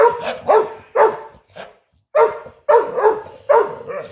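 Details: Morning barking competition by the dog Ludo, who still likes to play despite being unhealthy: a run of about seven loud barks, roughly two per second, with one short break midway.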